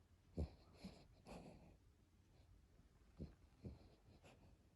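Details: Brooklyn, a fat pet dog that always snores like a human, asleep indoors: low, rough snorts and breathy wheezes arriving in uneven bursts roughly every second, with quiet breathing between them.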